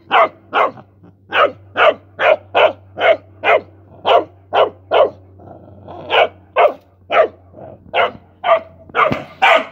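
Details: Rottweiler puppy playing with mice, barking in a rapid run of short, sharp yaps, about two a second and fairly steady, with a few brief pauses and slightly louder, harsher barks near the end; a faint low hum underneath.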